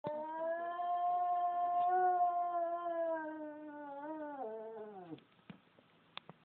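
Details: A pet dog howling: one long, steady, tonal howl held for about four seconds, then sliding downward in pitch and breaking off, followed by a few faint clicks and knocks.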